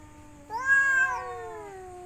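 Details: A single long, drawn-out cat yowl that swells and then slowly falls in pitch, from a mating-season group of one female and three males looking for a partner.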